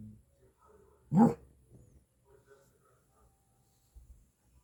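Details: Maltipoo puppy indoors, a single short bark with a slight whimper near the one-second mark, otherwise quiet room with faint low murmurs.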